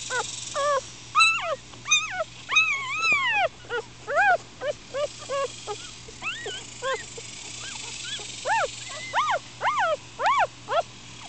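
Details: Upset four-day-old Miniature Schnauzer puppies squirm and cry in strong, repeated arched squeals, each rising then falling, coming about once a second in steady bursts over a faint background hum.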